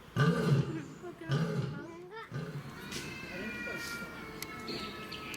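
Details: Chachamaru, a male lion living at Fukuoka City Zoo in Japan (as of September 2021), gives two deep, throaty roar bursts in the first two seconds, followed by quieter grunts, with children's voices and bird chirps in the background.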